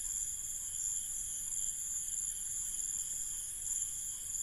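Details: Crickets at night in an Indian village trill in a steady, high-pitched chorus that drones on without a break.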